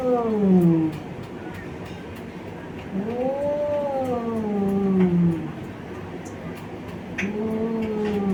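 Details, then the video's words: Two male domestic cats from Bangladesh attacking each other: muffled, low wavering yowls that swell and fade, rising then sinking over a couple of seconds each, with a steady background rumble and a few faint clicks. "Cat attack sounds (meow, meow)"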